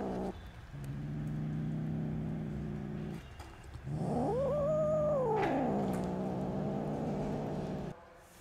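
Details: Sustained low growling from angry kittens, a litter of five met with their mother cat and reacting to being fed and handled, swelling midway into a loud yowl that climbs, holds and slides back down.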